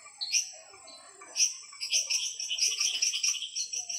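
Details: Frogs calling at night in the Ara Ambigua frog garden: sharp, high chirps and short clicking bursts, several callers overlapping in an irregular chorus, with brief whistled notes between louder clusters.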